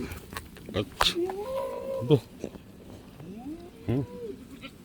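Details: Black goats on a goat farm in Gimhae, South Korea: a wavering, nasal bleat lasting about a second, then a shorter second bleat near the end, amid rustling, clattering and faint voices.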